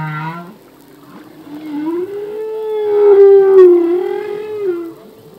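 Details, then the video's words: Singing humpback whale male: a short low grunt followed by a long, slowly rising and falling wail that swells and fades, with faint harmonics above. "Whale song - full length humpback whale song"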